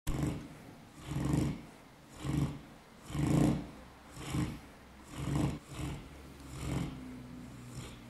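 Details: Buddha, a sleeping dog, snoring loudly: deep rumbling breaths repeated about every second, each swelling and fading in a steady rhythm, with quiet pauses between.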